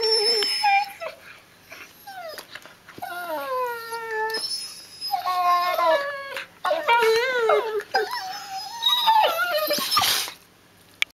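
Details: Border Collie puppies, six months old, testing new teeth on each other in sibling play; a string of short rising and falling whimpers and yips, bursts of quavering whines, with rustling and snapping between them.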